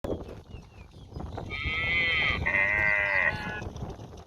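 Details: Village cow standing near the house, mooing because it wants grass to eat; one long harmonic, bleating-like moo lasting about two seconds with a brief break midway, over quiet outdoor background.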